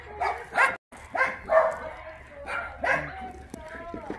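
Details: Shelter dogs at Mindeulle Shelter in Yangsan, South Korea, being played with; a few separate sharp barks come in short bursts, then a drawn-out whining tone near the end, with a person talking alongside.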